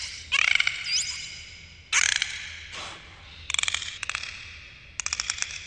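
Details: Dolphins recorded underwater: buzzing click trains arrive in separate bursts a second or so apart, one carrying a brief looping high whistle, with quieter rattling clicks near the end and low background hum.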